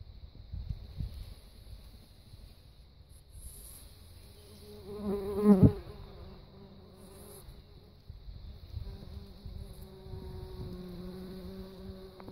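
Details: Bumblebee, genus Bombus, droning with a low buzzy hum and stacked overtones. It swells sharply loud near the middle, fades, then returns steadier toward the end over faint background noise.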